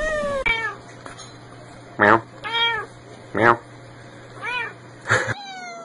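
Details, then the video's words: Cats in a funny cat compilation: several short arched meows mixed with sharp clicks or taps, a steady low hum underneath, and voices in the room. "funny time with cute funny cats"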